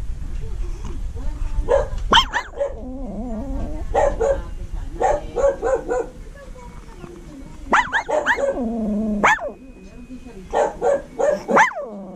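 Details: A small Shih Tzu/Maltese mix dog gives short, high yelping barks that stretch into wavering, whining howls.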